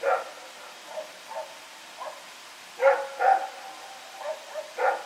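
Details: Rex barking through the night as he runs around, recorded 21 September 2018: uneven barks, some faint and some loud, with a strong pair near the middle and more toward the end.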